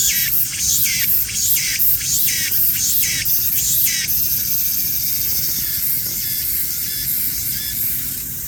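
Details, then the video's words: A cicada singing while slowly creeping along: a shrill, high buzzing song, first pulsed in rapid surges about twice a second for four seconds, then settling into a steady, continuous metallic drone. "슬금슬금 이동하며 노래하는 매미"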